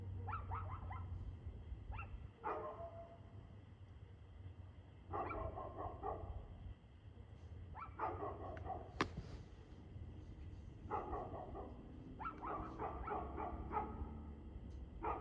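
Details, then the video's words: Dog barking on 2/6/2024 at 6:02 pm: repeated bouts of rough, harmonic barks every one to three seconds, some in rapid doubles and triples, with a sharp click near nine seconds and a steady low hum throughout. "Barking Dog"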